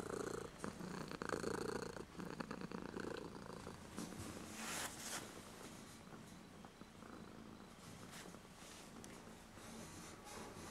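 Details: Kitten purring continuously, recorded on a JVC GZ-MS100 camcorder with its front LED on; a fast, even, rumbling throb, louder at first and then settling, with light handling noise.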